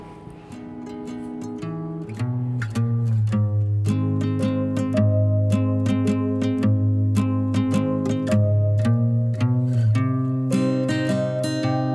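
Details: Plucked acoustic guitar and bass play a bouncy pizzicato-style tune, with no howling or other animal sound.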